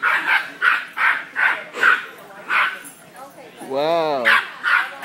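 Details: A 5 lb Cairn Terrier at a pet store barks sharply and aggressively in a quick series of short bursts at a 200 lb St. Bernard, while a person tells him to calm down.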